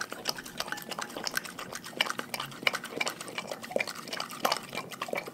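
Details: Raw-fed pack dogs eat with dense, rapid crunching and sticky, wet chewing, bites coming several times a second in a bright, clicky stream of sound.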